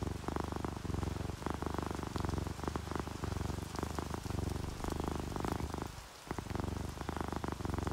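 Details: Content, relaxed house cat purring, orange tabby or calico, a continuous rumbling throb in repeated inhale and exhale phases with one brief pause near the end, accompanied by gentle rain and raindrops.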